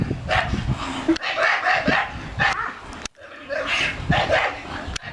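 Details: A 13-year-old male dog barks when told to speak on command: short, harsh broadband barks at irregular intervals, mixed with a man's voice giving commands.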